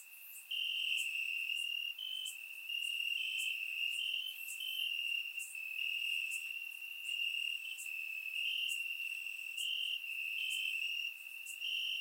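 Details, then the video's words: Grass crickets at night in Bulgaria during warm summer weather, surround microphone: dense, unbroken shrill trilling, with quick high clicks scattered across it and a brief quieter moment at the start. "Cricket Sounds - Crickets Chirping at Night"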